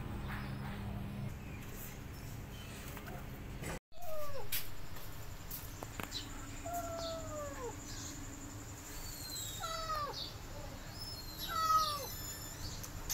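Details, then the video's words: Feral kittens, a pair abandoned at a house and caught late at night in a rescue; after a short gap, several descending, whining meows come every second or two over steady low background hum. "Kittens Hissing & Spiting"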